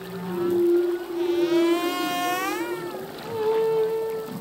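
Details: Humpback whale song from a male, heard underwater: a steady low moan, then a rich harmonic rising-and-falling cry in the middle, ending on a clear level tone.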